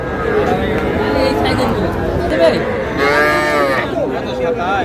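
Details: Moos from Sahiwal calves, small bulls and heifers traded to a Shariatpur farmer on 11 August, come as several bending, nasal calls, one louder near the end, over constant talking and crowd noise.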